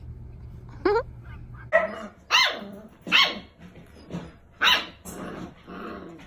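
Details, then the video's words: Two 6-week-old rescue puppies, a brother and sister found alone at five weeks and now fostered, barking in play: about six sharp, high yappy barks spaced irregularly over six seconds, with a low hum underneath. "Cute 6-week old puppies playing and barking!"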